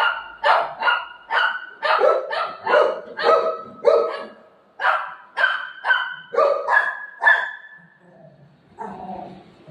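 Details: Golden Retriever playing with its owner, letting out a quick, uneven string of sharp barks and yips, nearly two each second, then trailing off into a quieter grumble at the end.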